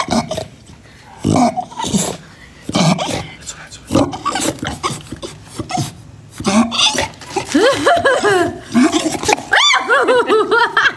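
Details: Chow Chow dog whining and grumbling indoors: low growly sounds mixed with human talk at first, then a rapid run of wavering, rising-and-falling whines and yelps through the last few seconds.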